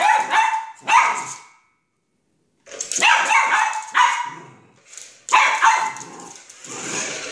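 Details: Excited poodle going wild over a remote control car, letting out loud shrill barks in clusters, a brief silence, then a fresh run of rapid yaps trailing into a whine.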